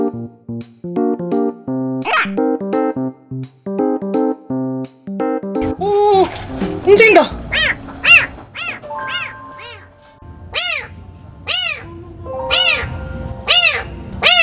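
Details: A thin baby kitten trapped inside a dark, narrow pillar in a shopping mall gives loud, high distress meows that rise and fall about once a second, after keyboard music that keeps playing softly underneath.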